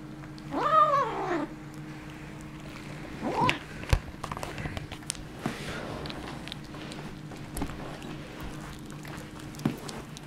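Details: Kitten with a bone, indoors: one loud, wavering, arched meow, then a shorter, weaker cry a few seconds later, with scattered clicks and gnawing noises and a steady low hum in the room.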